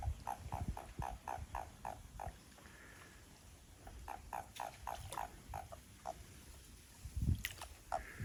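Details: Toads calling behind a house as they become lively: a quick run of short, mid-pitched clucking notes, about four per second, then a pause and a second run. A deep rumbling noise lies underneath.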